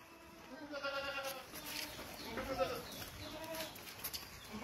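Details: Boer goats on a goat farm in Gazipur, Dhaka, Bangladesh, a breed raised for meat: several short, wavering bleats over a steady hum of farm noise and faint voices.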